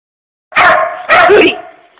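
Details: Puppy named Pooper, real name Dylan, barking at work at closing time at an empty puppy-shaped tissue holder: two loud, harsh barks about half a second apart, with a steady midrange tone behind.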